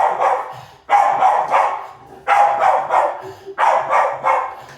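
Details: Maisy, a dog, barking while chasing: bursts of sharp, loud barks in three clusters of about four, strong through the middle range, with short quiet gaps between clusters.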